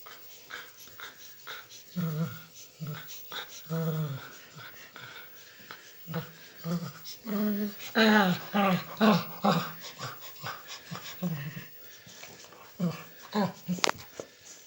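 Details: Rescued dog born on the streets, content while being scratched in a favourite spot: low throaty groans and soft whining moans in irregular bursts, some rising and wavering, mixed with clicks and rustling.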